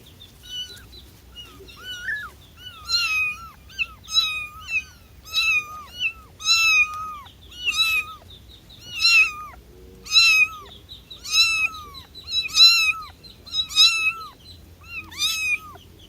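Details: Kitten calling for its mother: high, plaintive meows repeated roughly every second, each starting bright then bending downward, steady and insistent over a quiet background.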